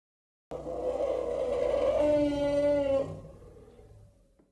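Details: African elephant. A single long African elephant call, brassy and trumpet-like, holds one rich tone for over two seconds. It then cuts off and fades into a short echoing tail.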